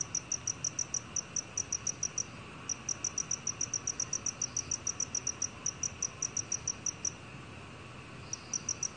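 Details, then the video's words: Song of a black cricket from a 2020 recording: rapid, evenly spaced high-pitched chirps in bursts of several seconds, broken by short pauses and a longer gap near the end before the chirping starts again. "검은귀뚜라미, 1번 듣기, 곤충소리"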